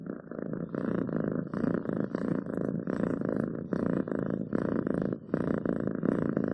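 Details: Domestic cat purring steadily, a low continuous rumble pulsing in regular breath cycles with brief pauses between each pulse, close and clear indoors.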